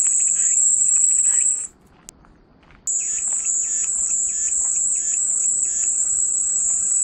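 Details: White-noise cicada recording: a piercing steady drone stops abruptly for about a second, one faint click in the gap, then the high buzz returns with quieter repeating raspy pulses.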